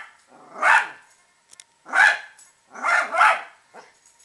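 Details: Italian Greyhound, a pet female, barking at the squirrels she hates: three loud, harsh barks about a second apart, the last a quick double, with faint clicks between them.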